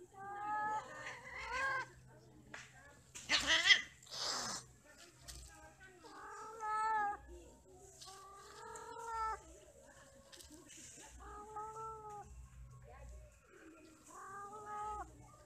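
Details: Domestic cats mating and quarrelling: drawn-out, wavering nasal yowls come in bouts of one to two seconds, broken by a sharp hissing spit burst early on. A steady low hum runs underneath.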